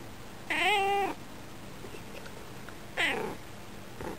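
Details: A female domestic cat at a window, bird-watching, gives a drawn-out slightly rising meow, then a shorter falling one and a brief third sound. She meows toward the birds, and her tone changes and mixes with purring when petted.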